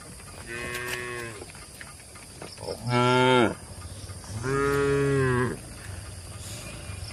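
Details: Cattle munching grass among oil palms in Indonesia, uttering three successive moos, the middle one loudest and the last longest, over a low steady background hum.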